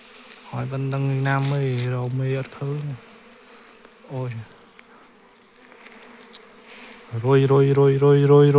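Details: Buzzing bees around an opened nest during a hunt for the queen: a long steady drone, a brief pass midway, then a louder swelling hum near the end.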